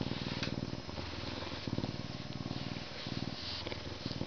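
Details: A purring Canada lynx in captivity, with rapid low vibrating pulses in short alternating bursts, roughly three per minute-second pattern, the rumble rising and falling with each breath.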